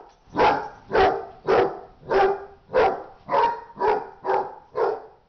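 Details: Repeated rough barks from a dog in a fight, about ten in quick, fairly regular succession, nearly two each second, with no other sounds.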